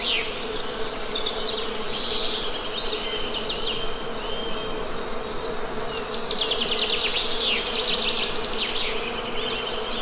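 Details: Steady humming drone of honey bees throughout, with scattered high bird chirps early on and a busy burst of rapid bird trills after six seconds.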